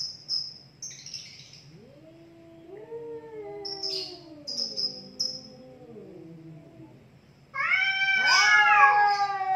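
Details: Two cats in a heated fight, trading long wavering yowls with rising and falling harmonic wails, brief hissing bursts between them, and a sudden loud high-pitched screech near the end.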